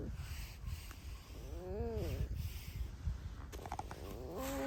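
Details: Squeaking from a pet red fox: two short, arched, tonal squeals about two and a half seconds apart, the second one shorter and rising, over steady low indoor hum.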